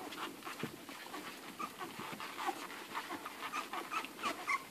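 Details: Hungry litter of eleven Irish Red and White Setter puppies feeding at the mother; brief high-pitched squeaks and little whimpers pop out over a steady bed of suckling, panting and rustling.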